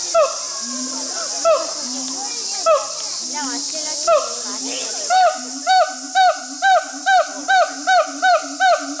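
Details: Siamangs Brave and Heart at Chiba Zoological Park, Chiba, Japan, 2 August 2020, calling in a zoo show: hooting, rising-and-falling notes that speed into a steady run about twice a second, over a constant high insect drone.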